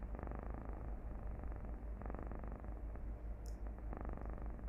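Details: Domestic cat purring, played back as a soundtrack for a calming meditation: a steady low rumbling purr with a pulsing rhythm throughout, a few soft clicks and brief bursts of higher noise over it.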